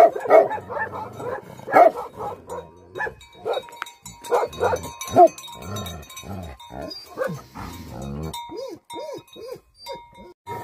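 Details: Angry Bhote Kukur, the Tibetan Mastiff, barking hard in uneven bursts, the barks gradually thinning into softer, arched whining yelps toward the close.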